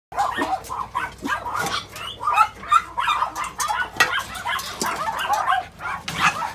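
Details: Many dogs at a puppy mill in Yangju, a dense chorus of overlapping high-pitched yips and barks, continuous and unbroken throughout, several dogs calling at once.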